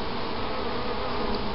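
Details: Honey bee colony being removed from a cavity at Helderberg Castle in New York's Capital Area, after nine pieces of comb were taken and the queen captured; a dense, steady, low hum fills the whole stretch without a break.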